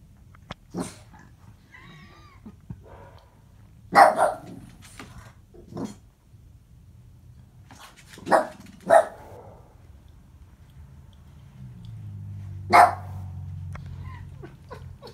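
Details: Hungry kitten, a Puspin, meowing while trying to steal cat food from a little kitten: thin high meows repeated about every one to two seconds over constant low rumbling noise and faint clicks.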